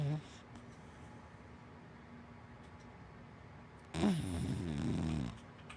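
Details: Sleeping black dachshund–Labrador mix named Hana gives one long, rough snore lasting over a second, a buzzy rattling breath with a low pulsing undertone, after several seconds of near silence indoors.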